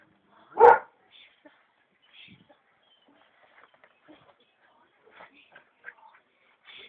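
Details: Belgian Malinois pup working on its bite with a bite pillow under a trainer's direction; a single loud, abrupt bark early on, followed by faint rustling, soft handling noises and brief low voices.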